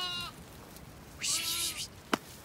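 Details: Ewes and lambs out on grassy pasture at a regenerative farm in County Kilkenny, Ireland, some lambs thin after wet weather; a short harmonic bleat opens, then a longer quavering bleat, with a farmer's voice nearby.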